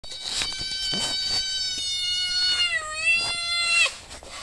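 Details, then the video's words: Maud'dib, a pet cat, meows while being asked whether it is hungry and ready to eat. One long, drawn-out, tonal meow lasts about three seconds, dipping in pitch near its end, with faint background clicks. "Maud'dib meowing"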